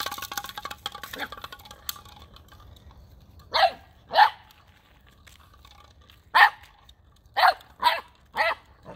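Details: Boxer puppy, nine weeks old, barking while first playing with a new ball on 9 December 2021. Rustling noise at the start, then six short punchy barks in uneven bursts.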